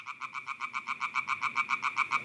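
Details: European tree frogs calling at night in a garden pond area by the Mulde near Wurzen, some outside the water among spiny needles, one brown; a fast, even string of nasal, rasping pulses, about seven each second, steady throughout.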